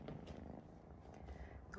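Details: Kitten purring in a home in Vancouver, Canada, where it is being raised alongside a golden retriever; a low, steady rumbling purr with fast fine pulses, a few faint higher sounds over it.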